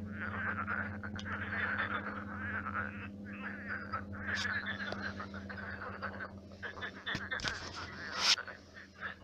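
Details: Many frogs croaking at night in a shallow pond turned marsh; a dense, continuous rattling chorus of overlapping croaks, with a steady low hum underneath and a few sharp clicks near the end.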